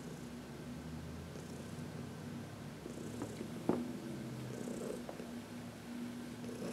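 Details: Contented 14-year-old female domestic cat, adopted from a shelter, being massaged in sunshine on March 19, 2021; even low rumbling purr throughout, with a few soft clicks and occasional faint high-pitched hissy bursts.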